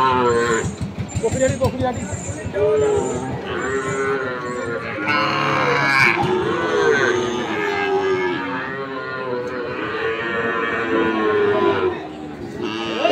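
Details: Market scene at Ambari, Dinajpur, on 6 November 2023, where Sahiwal bull calves give a long series of deep, sustained moos, one after another, with people talking and a brief vehicle-like noise in the background.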